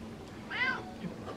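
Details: Hungry female pet cat begging for tuna: a single clear, arching meow rising then falling, in a quiet indoor room.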